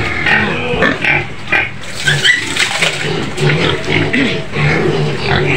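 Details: A white pig screaming in its pen on the outskirts of Medan, Indonesia, lets out harsh, noisy squeals in rapid bursts, several per second and nearly continuous, with faint voices beneath.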